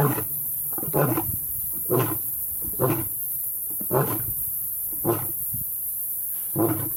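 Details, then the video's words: Lions of the Madrid pride on Blue Canyon Private Game Reserve in a summer heatwave, young males practising roaring with their fathers; a series of deep, short grunting roars repeated roughly once a second, fading toward the end. "Rulers of the Night Teach Their Sons to Roar"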